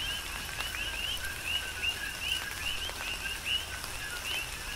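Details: Coqui frogs on the Big Island, Hawaii, calling through tropical rain. Two-note calls, a short low tone then a rising chirp, come about once every second, with raindrops pattering loudly between them.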